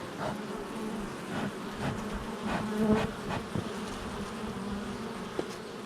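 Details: Honey bee hive entrance, July 22nd, 2024: a dense, even buzzing of many bees, swelling briefly as single bees fly close by, with a faint tap near the end.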